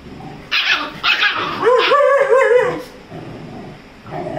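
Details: A Rajapalayam puppy of 35 days, fighting with a Labrador, lets out a few sharp high yaps and then a thin wavering whine lasting about a second, followed by quieter scuffling.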